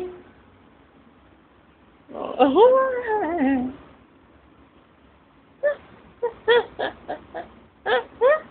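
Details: A cat called Tiger Cat gives a long wavering meow that rises and falls, then after a pause a quick run of about eight short chirping mews.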